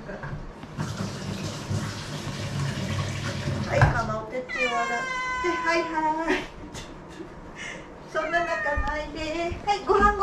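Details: Former rescue cats pleading for a meal; a person talks for the first four seconds, then drawn-out, wavering meows sound, a long one mid-clip and several more near the end.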